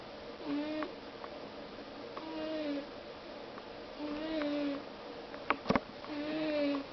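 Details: Sleeping house cat snoring quietly: short, droning, harmonic snores repeat about every two seconds in a small room, with a brief clatter of sharp clicks near the end.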